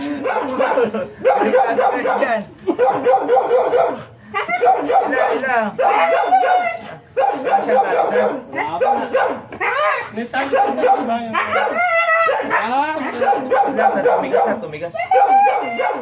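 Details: Two first-time Siberian Huskies, dam and sire, vocalize through a stud session with repeated wavering, talkative howls and whines in short bursts separated by brief gaps.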